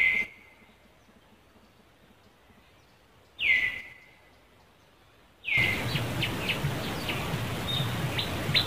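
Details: Cambodian monkey reacting as Angela spots another monkey near Lucie: three sharp, high cries, each dropping quickly then trailing off, spaced a few seconds apart; after the third, a noisy outdoor background with faint chirps sets in.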